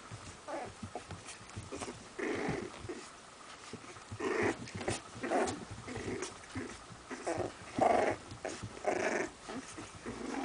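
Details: Two Sealyham Terriers in Kyiv, Ukraine. Short, rough growling bursts repeat roughly once or twice a second across the whole stretch, rising and falling in loudness, in a small indoor space.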